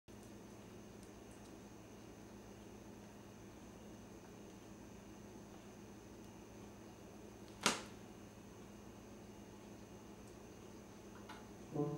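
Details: Low room hum is broken by one sharp click midway and a soft knock at the very end.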